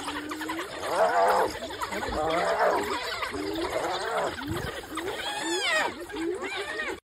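African wild dogs chatter in high, bird-like twitters and squeaks, several voices overlapping.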